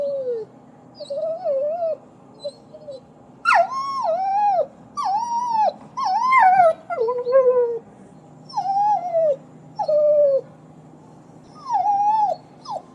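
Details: Puppies whining and crying in wavering, mid-pitched whines that rise then droop, repeated roughly every second in a steady series against a low background hum.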